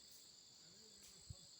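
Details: Cicadas in a forest: a steady, continuous high-pitched droning buzz throughout, with faint low background noise and a brief thump.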